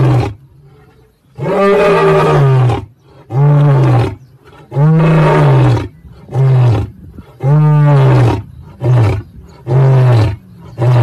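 A lion roars in a series of deep, drawn-out moaning bursts, each lasting about a second.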